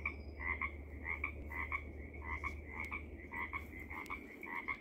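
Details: Pacific tree frog hidden in dense vegetation at Seaside, Oregon, giving rapid, somewhat irregular double-noted 'ribbit' croaks, roughly two per second, with a constant low rumble behind.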